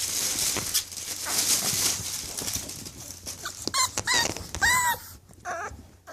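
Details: English Bulldog puppies giving high, thin whining whimpers that rise and fall in short curved squeals near the end, over a steady hiss of background noise.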